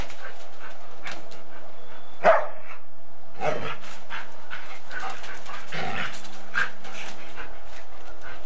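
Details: During bitey-face play and chasing between a Golden Retriever and a Samoyed, recorded on 8mm tape: four separate sharp bark-like yips spaced one to two seconds apart, with low hum and tape hiss between them.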